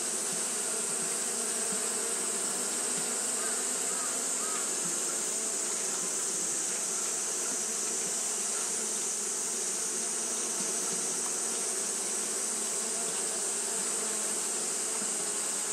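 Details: On a hot day, Japanese honey bees keep up their fanning, producing a dense, even hum that never pauses, with a bright steady hiss-like band sitting high over the drone.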